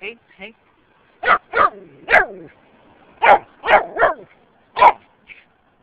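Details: Jack Russell Terrier mix meeting a turtle, giving a series of sharp, high barks in uneven bursts, about eight barks with short pauses between them.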